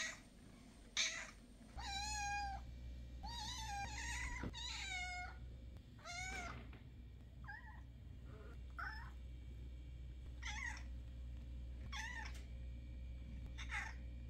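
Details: Several domestic cats' meows in a compilation, each a bright, harmonic cry that bends up then down.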